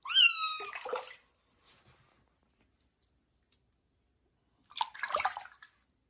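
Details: Johnny the kitten, bathed for the first time in the bathroom, opens with a loud, bright meow that trails off, followed by quiet drips and then a burst of splashing water.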